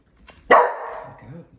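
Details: A Bull Terrier barking and jumping at a steam mop gives one sharp, loud bark that trails off into a rough, fading tail.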